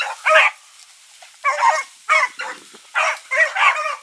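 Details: Hounds of the Blackreek pack, Choco, Dino, Johnny Ringo and Mingo, running on an August 2014 evening. A few separate, spaced barks, some doubled, with quiet gaps between them.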